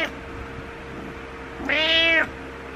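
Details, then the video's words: Pet cat wanting attention gives a single loud, sustained meow of about half a second, steady and richly harmonic, over a quiet room with a faint electrical hum. "Meowing Cat Wants Attention"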